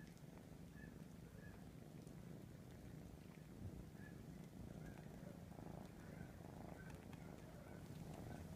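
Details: Ralph, a three-and-a-half-month-old kitten, grooming his siblings clean; a steady low rumbling purr runs throughout, with small soft clicking licking sounds scattered above it.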